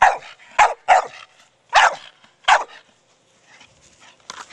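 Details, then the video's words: Four-year-old Staffordshire Bull Terrier Brogan plays with his large hard plastic ball, giving five quick barks in the first three seconds, then a short pause before another bark. "Staffordshire Bull Terrier Brogan with his ball."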